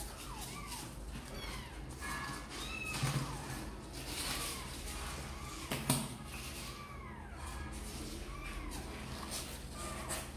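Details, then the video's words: Kittens Sor and Kapov wanting out to play mew softly in short arched calls, spaced irregularly, under steady background hum and occasional knocks indoors. "Sor and Kapov kittens update - Looks like they really want to come out and play"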